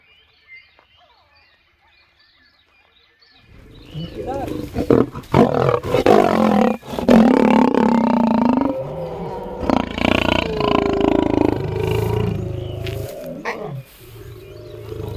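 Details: In the African bushveld, a lion roars in deep, rumbling, moaning bursts after a quiet opening of faint high chirps.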